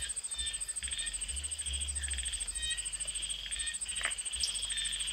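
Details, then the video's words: Polypedates cf. leucomystax, the common tree frog, at a garden pond edge near Mae Wong National Park, Thailand, 29 July 2018, evening; dense runs of rapid clicks and nasal pulses over a constant shrill insect drone. "Common Tree frog"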